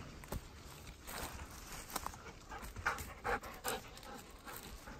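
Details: Ten-year-old Golden Retriever walking toward a field, panting in soft breathy bursts about two to three per second, uneven in spacing and loudness, over low outdoor background noise.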